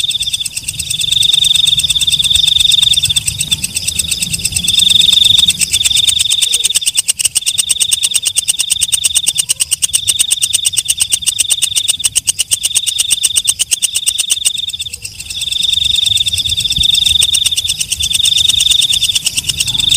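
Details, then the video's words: At night, a walang kecek katydid sings in long high-pitched trilled bursts with constant ticking pulses, short pauses splitting the trills, and a brief near-silent drop in the buzz around the fifteenth second. "Suara Walang Kecek/ Belalang Malam"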